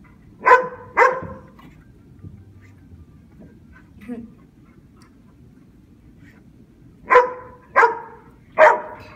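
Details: Dogs named Brad and Odie bark while attacking a giant grasshopper: two sharp barks at the start, a quiet gap, then three more evenly spaced barks near the end.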